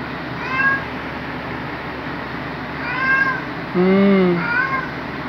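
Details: Luna, a black male pet cat, greets on waking beside his owner with loud, jolly meows: a few short rising-falling calls, then a louder, lower drawn-out meow near the end, indoors over a steady hum with soft human voices.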